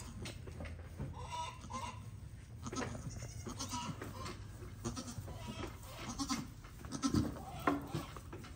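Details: Pygmy goat herd with newborn kids on a Knoxville, Tennessee farm: soft, scattered bleats early on, then louder, quavering harmonic calls toward the end, set against constant low background hum and faint clatter.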